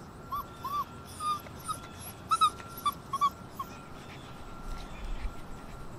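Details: Six-week-old Alaskan Malamute puppies whimpering: a series of short, thin, high squeaks, some paired, scattered over several seconds, with a steady electrical hum throughout.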